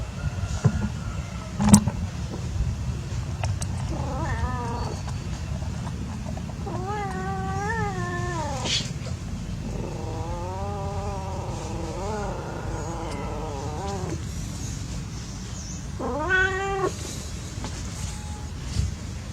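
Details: Cats at play give a series of meows and wavering yowls: a short call, then longer bent cries, one drawn out for several seconds, and a final rising call, over steady engine-like traffic rumble and occasional knocks.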